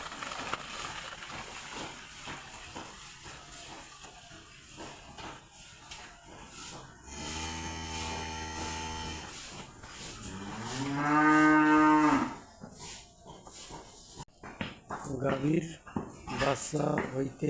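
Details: Cattle on a large farm at Kathalbari Debaloy, Kurigram, where various breeds are raised and calves are kept apart from cows. One deep, steady moo is followed by a longer moo that rises and falls, with talking and hiss around them.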